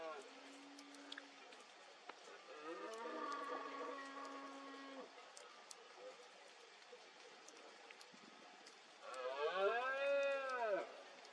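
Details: During the 2022 rut in Cantabria, a red deer stag roars in the mist: one drawn-out, low bellow, then after a pause a louder, rising-and-falling roar near the end.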